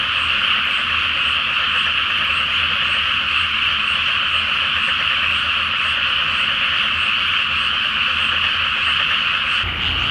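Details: Many frogs in a nighttime chorus in a water-filled rice field awaiting planting, full moon overhead. Dense, rattling croaks carry on steadily, then the sound cuts briefly just before the end.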